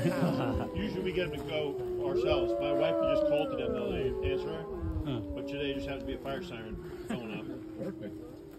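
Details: Wolves howl in chorus at the Lakota Wolf Preserve on March 5, 2023. Many long wavering tones overlap and cross throughout, some rising then falling, with human voices faintly mixed in.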